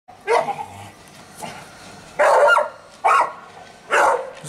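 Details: Staffordshire Bull Terrier named Fudge playing in the sun on Mother's Day, 26 March 2017, giving four short, harsh barks spaced about a second apart, with quiet pauses between them.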